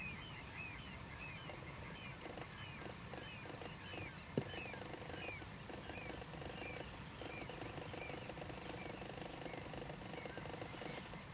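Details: Balkan spadefoot, Pelobates balcanicus balcanicus, one of three seen, mainland Greece: low clucking pulses in short rapid series repeating throughout, over steady higher chirping calls from other animals and one sharp click near the middle.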